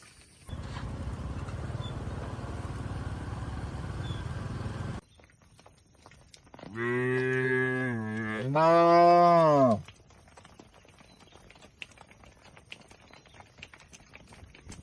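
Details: Tame cattle in a shed in the Indonesian countryside: a deep, drawn-out moo rich in harmonics, then a second louder moo rising and holding, about three seconds of lowing in all, following a stretch of steady engine-like rumble; quiet background afterward.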